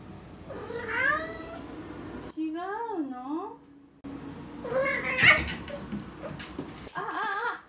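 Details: A male Ragdoll cat gives drawn-out, wavering meows of complaint about kibble that is not his favourite flavour, which he swipes away with a paw, while a woman talks and offers other food.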